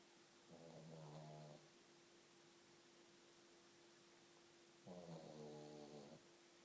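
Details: Pug asleep, giving two harsh, low, buzzing snores about four seconds apart over a steady electrical hum.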